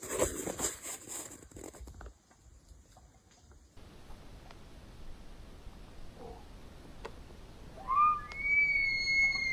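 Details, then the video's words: Elk bugling in September, heard among bugling and fighting. After scattered knocks and rustling in a quiet stretch, a high whistled bugle sweeps sharply upward near the end. It then holds as a steady, pure, ringing tone. "SOUNDS OF SEPTEMBER!! ELK BUGLING AND FIGHTING !!!"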